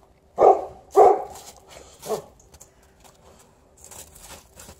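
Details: Alaskan Malamute outside with a Golden Retriever, playing and not coming in: two hoarse, full barks about half a second apart, then a weaker third, followed by quiet rustling.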